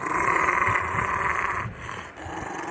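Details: A Rottweiler, asked for his guard-dog "break-in" face, gives a steady, rough growl that holds for over a second, then eases off. He growls and stops on command.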